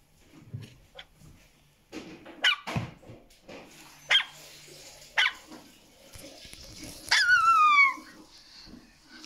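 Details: An American Staffordshire Terrier puppy, alerted by another dog barking, gives sharp, scattered alert barks, ending in a falling whiny yelp; recorded in 2020.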